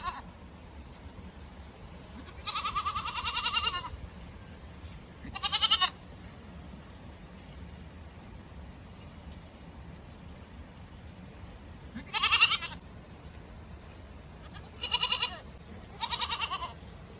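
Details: A goat in the snow gives loud, tremulous bleats in bursts of one to two seconds, some drawn out and shaky, others short and sharp, with quiet pauses and a low background hum.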